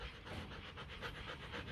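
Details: Female Rottweiler Kute Gervi, 15 months old, pants rapidly and regularly, each breath a soft airy rasp repeating several times a second, while awaiting a blood test to time ovulation.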